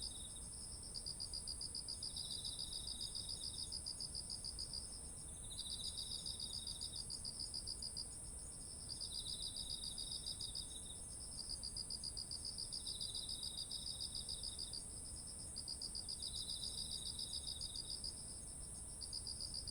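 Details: Autumn insects singing beside ripe rice fields, recorded on a ZOOM H1essential: a steady high shrill drone, a beaded pulsing trill that starts and stops every few seconds, and a lower rasping trill in short bursts.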